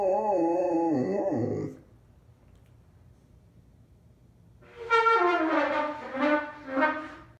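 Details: A 180-pound Newfoundland dog howls in long, wavering, sliding notes in answer to a beginner's trumpet blare.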